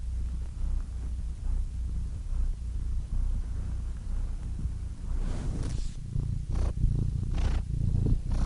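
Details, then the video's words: Domestic cat purring for calming listening: an even low rumble that is quieter at first, then grows breathier with audible in-and-out airy pulses in the second half. "Soothing Cat Purr Sound Effect"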